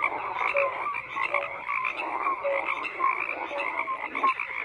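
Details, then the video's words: Dense frog chorus, overlapping croaks forming a steady rattling drone, punctuated by brief higher, clear notes from individual callers. "FROGS CROAKING"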